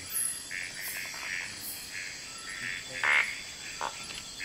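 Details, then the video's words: Frogs calling at night in Kubah National Park: short, rasping bursts repeated at irregular intervals, several callers overlapping, over a steady high insect whine. "Kubah national park frogs and more nightlife"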